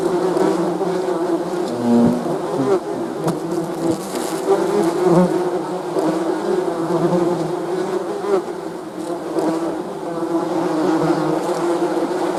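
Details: A swarm-like drone of honey bees, a constant low buzzing built from many wavering wing tones, loudness rising and dipping gently, with faint clicks now and then.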